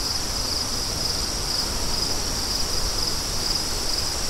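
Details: High, thin cricket chirps in short bursts about every half second, steady and unbroken, over a soft hiss of wind.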